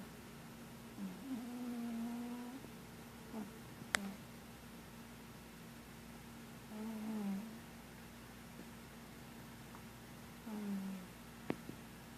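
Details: Sleeping house cat Marshmallow, dreaming, lets out three brief low moaning snore-like sounds several seconds apart, with a couple of sharp clicks and a steady faint hum in the background.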